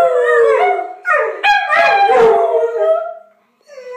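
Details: Duet of a min pin and a boxer-pit, pet dogs howling together unprompted: wavering, rising and falling howls with yipping breaks, ending in a brief pause before another howl begins.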